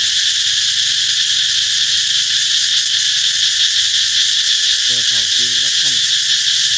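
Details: Cicadas ringing out as a sign that summer is near: a constant piercing, metallic drone throughout, with a few quick spoken syllables breaking in near the end.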